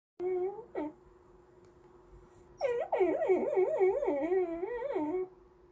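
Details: Goldendoodle dog named Andy whining for snacks or petting indoors, a sing-song whine wavering up and down in pitch, one short cry then a longer warbling run of about two and a half seconds.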